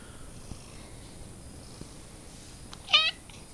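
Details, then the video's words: Domestic cat indoors giving a single brief harmonic meow near the end, preceded by near-silence with faint room hiss and a couple of soft clicks. "Mans stulbais kaķis"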